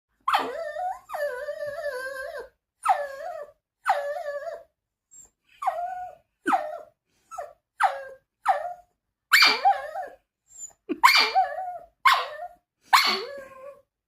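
A Shih Tzu gives high, tuneful barks, some drawn out and wavering like whines, others short and sharp.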